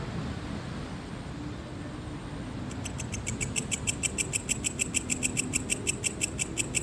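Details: A cricket recorded for relaxation alongside ocean waves. Rhythmic pulses start after a quiet opening of low, steady wash, then repeat about five times a second, sharp and bright, over the continuing rumble of surf.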